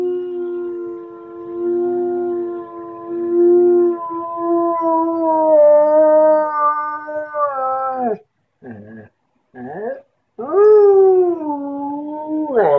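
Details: Siberian Husky yodeling as an early-morning wake-up call: long, sustained harmonic howls that waver and slide downward, broken by brief pauses, then a rising wail at the end; a man speaks briefly around it.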